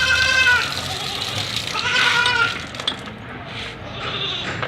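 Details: Meows of a white Persian kitten being showered in Gujranwala: two strained, wavering cries in the first half, then only the hiss of running water.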